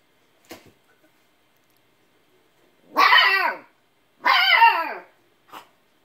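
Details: Siberian Husky puppy barking at an old cat that will not play: two long, harmonic yowling barks around three and four and a half seconds, each wavering and falling, with short faint sounds before and after in a quiet room.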